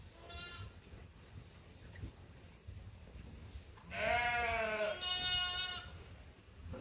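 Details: Feeding time for sheep at Ewetopia Farms: a faint bleat at the start, then two louder quavering bleats close together near the end over low farm noise.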